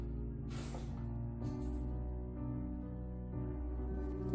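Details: Sustained instrumental music with low held tones and a brief breathy burst plays throughout, with no animal voice.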